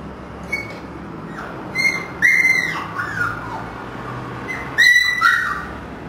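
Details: Young Siberian huskies from a 1 October 2009 litter at a kennel, three pure white and two gray-white, produce shrill squealing whines with sharp onsets and descending tails, a few bursts over several seconds.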